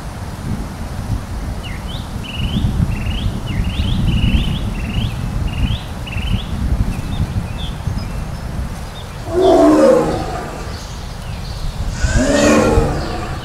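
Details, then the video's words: Sundarbans mangrove ambience in India with a Bengal tiger roaring: a run of bright, repeated bird calls, then two harsh, throaty roars about three seconds apart over low steady background noise. "BENGAL TIGERS OF SUNDARBANS MANGROVE INDIA ROAR"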